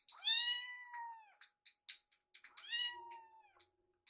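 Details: Foster kittens Yuki and Piyo, rescued babies indoors, meow while waiting for their meal: two long, clear, high meows that slide slightly up then down, with short clicks and thin squeaks between them.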